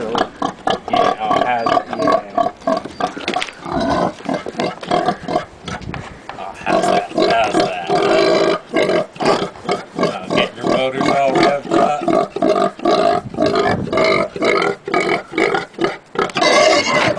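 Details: A pet pig nicknamed for its singing, greeted by a person on its big day, gives a rapid run of grunts and squealing, sing-song calls answering the person's voice.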